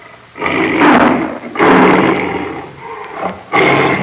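Lions growl in rough, breathy bursts, each lasting about a second and rising and falling in strength. Three such growls follow one another closely, with short quiet gaps between them.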